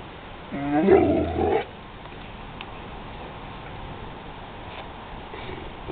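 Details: A pit bull reacting to thunder gives one loud, drawn-out, harmonic bark-like cry lasting about a second. Quiet background follows for the rest of the recording.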